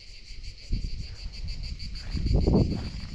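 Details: Insects of the mango and jackfruit season in Bangladesh, crickets, trill on every side of a silent forest cattle farm with no herders; the continuous high pulsed chirring persists under low thumps and rustling.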